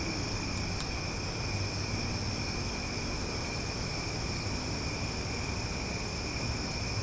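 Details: Omaha cicadas on a summer night, an unbroken high-pitched buzzing drone of stacked tones with a fast rhythmic pulsing near the top, two sharp clicks early on, and low background rumble.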